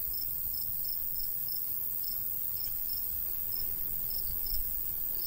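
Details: Summer countryside crickets beside a golden wheat field give spaced, high, bright chirps with small irregular gaps, while a light breeze rumbles low underneath.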